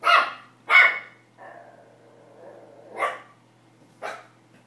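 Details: First barks of a Pomeranian puppy worked up over a tennis ball: two sharp yaps close together, a low whining stretch, then two more bright barks about a second apart.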